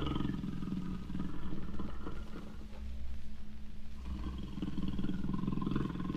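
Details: Low, pulsing jaguar grunts in a rough sawing rhythm, deep and resonant, rising and falling in loudness.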